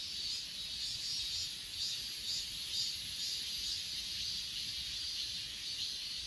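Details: Grass insects on Achasan, recorded on an S20 Ultra: a dense, shrill, high-pitched chorus hums without a break, with a soft pulsing swell about twice a second. There is no other clear sound.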